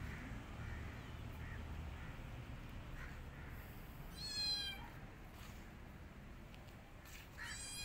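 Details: Rescued kittens hiding in a jacket give two high, harmonic-rich meows, the first around the middle and a second near the end, over steady low rumbling background noise.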